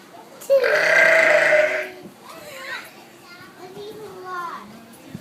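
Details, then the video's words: Sheep at Honolulu Zoo, upset about a llama being out for a walk, gives one loud, harsh, belching bleat lasting over a second, followed by quieter rustling and faint voices of people nearby. "Belching Sheep"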